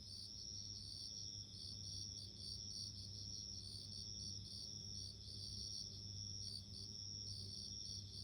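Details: Chorus of bell crickets producing continuous high-pitched ringing trills, with short repeated pulses layered on top and a faint low drone underneath.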